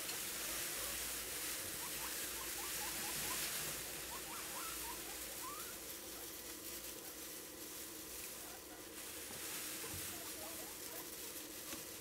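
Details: Squeaky morning calls from a group of sixteen pet guinea pigs in a quiet home setting, short rising upturned notes repeated in runs, with soft rustling and pattering throughout.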